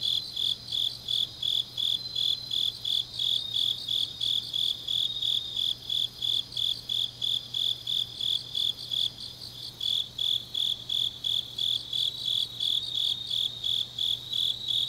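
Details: Several grass insects calling together on a deep autumn night in Changnyeong, South Gyeongsang, Korea; fast, regular high-pitched chirps, about three each second, overlapping a continuous shrill trill, with a quiet low hum throughout.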